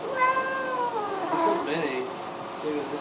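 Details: Domestic cat Baxter cries during a flea bath: one long, drawn-out meow sliding gradually downward, followed by a brief softer mew, with a human voice and splashing in the background.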